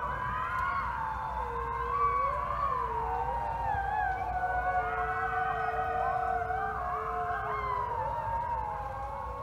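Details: About thirty gray wolves at a wolf conservation center in South Salem, New York, howl together at sunset in a dense, overlapping chorus of long sliding tones.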